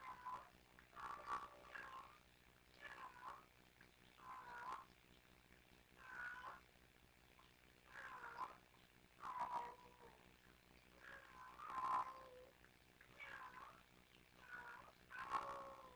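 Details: Kittens Sisko and Mila at the Tiny Kittens Society rescue, filmed by live streaming cam, trilling and chattering back and forth: a steady run of short, rolling chirps, some in quick pairs, every second or two, with nothing else clearly audible.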